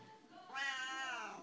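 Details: A chatty Siamese cat, one of two in the home, gives a single long meow that starts soft, then swells into a loud, steady, nasal cry held for about a second before trailing off.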